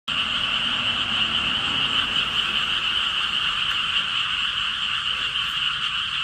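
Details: Frogs croaking in a dense, continuous trilling chorus, startling a timid golden retriever puppy; the steady buzzing drone holds evenly throughout.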